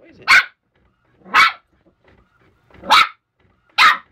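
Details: West Highland White Terrier puppy attacking a printer, apparently disliking its noise and paper; four sharp, high barks spaced about a second apart, quiet between them.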